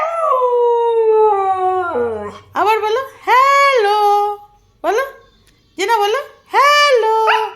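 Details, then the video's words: Domestic husky talking back while its owner coaxes a hello in Bengali: a long falling howl, then a run of short, bouncing, yodel-like woo-woo calls separated by brief pauses. "husky say hello || husky talking to owner"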